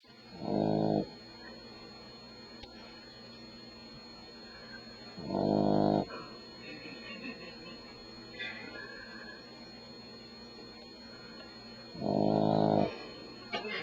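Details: Sleeping Beagle puppy about four weeks old, lying by a person's ear at night, snores in three rough, low breathy bursts spaced about six seconds apart over a steady background hum; a person speaks quietly afterwards.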